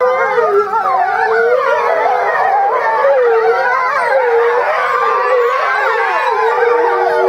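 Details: Eastern timber wolf family howling together at Higashiyama Zoo, Japan, February 2012, with one female kept apart during breeding season; overlapping wavering howls, several voices sliding up and down at once in a dense continuous chorus.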